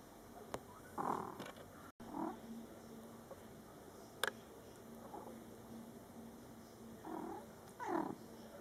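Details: Mother cat and her young Scottish Fold kittens, born July 22, 2012, in their first month; brief mews arrive in pairs, two near the start and two near the end, against a soft steady background.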